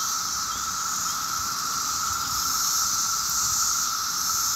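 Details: Rare 17-year cicadas calling in mass numbers in Maryland on a summer day: a continuous, even drone overlaid by a sharp high hiss, unchanging from start to end.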